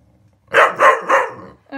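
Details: Cocker spaniels barking at a lint roller indoors: three quick loud barks in a burst, followed by a brief voice.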